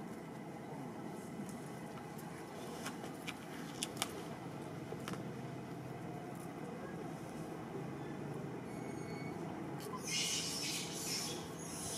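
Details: Steady broadband traffic-like rumble with faint scattered clicks, a low hum, and a brief hissing burst near the end.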